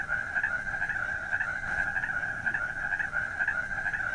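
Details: At night, frogs keep up an unbroken, somewhat lower-pitched trill with regular throbbing pulses several times a second, steady in loudness across the whole stretch.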